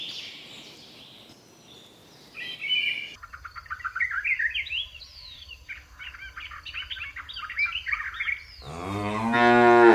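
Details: Busy, twittering birdsong fills the rice fields where cows graze, then a loud, rising moo breaks in at the very end and is cut short.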